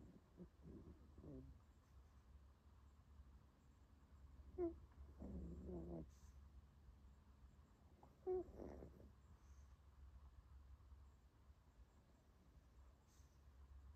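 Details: A sleeping female puppy napping, making soft low breathy snores with a few whimper-like squeaks, several bursts over fourteen seconds against a quiet room hum.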